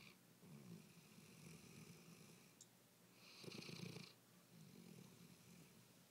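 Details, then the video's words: Sleeping dog snoring indoors: steady low rasping snores with a breathy hiss on each breath, one longer, louder hissing exhale midway, in a quiet room. "Tiny snoring"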